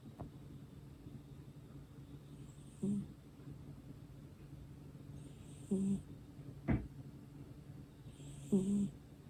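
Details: Domestic cat fast asleep with its eyes open, snoring softly: low rasping breaths with a faint airy hiss, coming roughly every three seconds in a quiet indoor room.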